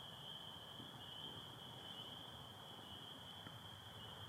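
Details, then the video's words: Spring peepers calling at night in Michigan on April 24, 2025, under stars with some overcast, alongside American toads; a distant chorus merges into a steady high-pitched ringing drone, with a faint low rumble underneath. "Sounds of spring peepers and american toads"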